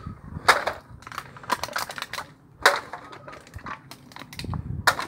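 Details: Sharp cracking and crunching bursts come in irregular clusters over a low rumble, with no animal voice heard.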